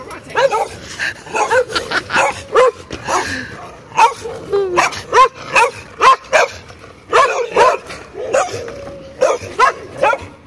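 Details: Neighbourhood dogs barking in loud, sharp, harmonic barks, uneven bursts of several barks with short pauses between them, carrying on across the whole stretch with a quiet background.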